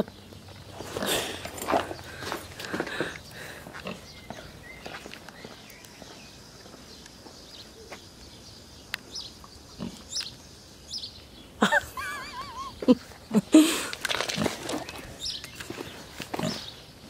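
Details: Pot-bellied pig out on a walk on a hot summer day, giving short, breathy grunts and snorts in irregular bursts, roughly one or two a second, with brief squeaky, chirping sounds and faint human voices in the background.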